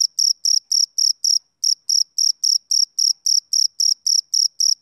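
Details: Male cricket calling on a summer evening, a run of crisp high chirps about four per second, briefly pausing once before the regular pulsing resumes; otherwise quiet background.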